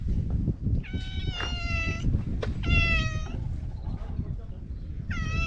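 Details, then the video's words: Talkative stray cat meowing outdoors: about three clear, tonal, harmonic meows, each under a second and some slightly falling at the end, spaced a couple of seconds apart over a steady low rumble of outdoor background noise. "【おしゃべり猫10選/猫の鳴き声まとめ】Speaking cat special feature"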